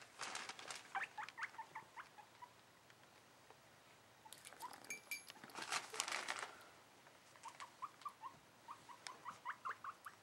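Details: Young guinea pig, seven months old, excited while its cage is cleaned indoors: short rising squeaks in bursts, some quick repeated runs near the end, mixed with rustling and clattering bedding noises in the middle.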